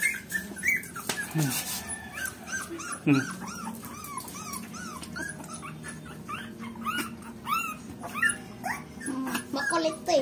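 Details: Dog indoors giving many short arched whines and yips, each bending up then down, coming in quick irregular series throughout, with Filipino speech in the background.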